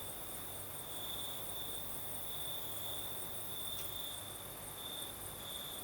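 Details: Night chorus of crickets in southern Crimea during a night breeze, a continuous high-pitched trill pulsing softly in strength, set against steady windy rushing noise.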